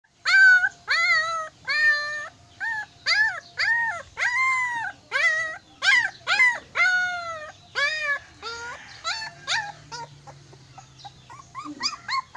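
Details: Mixed-breed puppy screaming in Silay City, Philippines: a run of loud, harmonic, arching cries, each under a second, repeated about twice a second, fading near the end into shorter, softer yelps.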